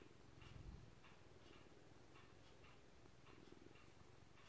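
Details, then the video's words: Gray-blue senior male cat, about eight years old when adopted from a rescue shelter, purring indoors while kneading; a low, steady rumble fills the bottom, with faint soft clicks every half second or so. "Cat Purring and Kneading"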